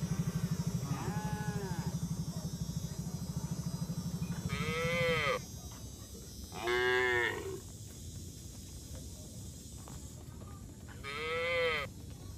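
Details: Tame herd of cattle walking along a mining road toward a green village, farm setting. Four drawn-out, harmonic-rich moos of about a second each, spaced irregularly, with a low engine-like rumble beneath the first few seconds.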